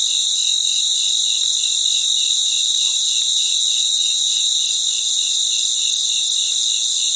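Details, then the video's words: Night-time cricket chorus in a natural setting; a dense, continuous high buzzing trill fills the background, with faint lower pulsing chirps repeating underneath. "Sounds of Cricket | Relaxing Sounds of Crickets"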